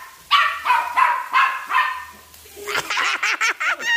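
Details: Chihuahua attacking a flying toy bird: a run of four loud, high, harmonic barks in the first two seconds, then a quicker burst of sharp, yappy rising-and-falling yips.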